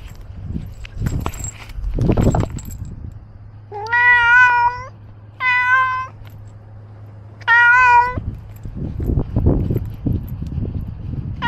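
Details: Ros, a pet cat wearing a camera while roaming outdoors, gives three loud harmonic meows of about a second each, spaced a couple of seconds apart, with rustling and footsteps before and after.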